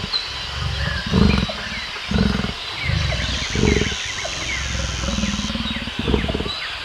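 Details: Lion roaring in a grunting sequence: deep, hoarse bursts spaced about a second apart, fading toward the end, with birds twittering in the background.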